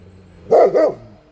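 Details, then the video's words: German Shepherd dog, 2018, trained to bark on command in two languages: two quick barks in close succession, rough and mid-pitched, with quiet background. "Hund zum Bellen animieren..in zwei Sprachen-DSH - 2018 - German Shepherd"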